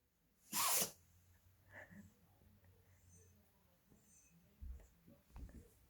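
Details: A pet dog named 구름 (Gureum) gives one sharp, explosive sneeze early on, followed by quiet snuffling, faint breathing sounds and soft knocks in a quiet indoor room.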